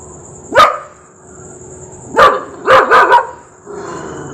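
A Rottweiler gives deep, abrupt barks, a single bark then a quick burst of three.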